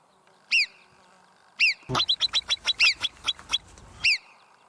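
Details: A marmot, a mountain rodent of regions such as the Alps and Pyrenees, gives sharp, high-pitched alarm whistles, single at first, then a rapid ringing series.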